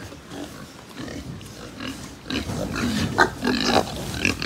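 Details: Pigs on a Japanese pig farm, quiet low grunting at first, then louder from the midpoint with clustered squeals and tonal squeaks rising over continual snorting and barn rattle.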